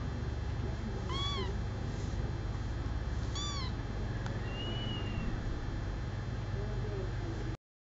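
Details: A male kitten aged four weeks, adopted after being found at four days old, utters two bright, descending meows about two seconds apart, then a faint thin tone, with low humming throughout.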